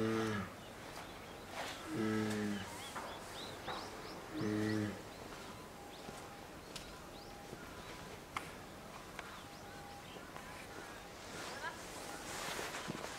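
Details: Two-year-old female polar bear Lila begs her 22-year-old mother Lara to nurse, in a cage at Maruyama Zoo, Sapporo, 19 January 2017. Three deep, droning bawls come two seconds apart, then quiet rustling and clicks follow.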